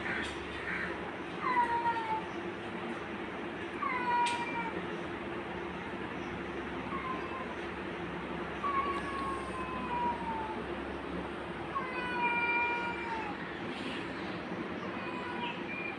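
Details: Angry domestic cat attacking a kitten: a series of drawn-out, falling meows and wails with strong harmonics, several calls spread through the stretch over a steady background hum.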